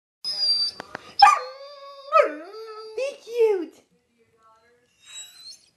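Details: Female Rhodesian Ridgeback, 21 months old and 95 lbs, indoors in a room, whining and yelping when asked to be cute: several sliding, tonal whines and yips with falling pitch over about four seconds, a faint whine near the end.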